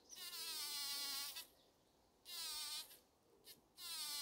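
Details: A female bumblebee gives loud, rich, high-pitched buzzes in bursts, vibrating to shake pollen from a wild rose (buzz pollination) and gathering it as food for the nest.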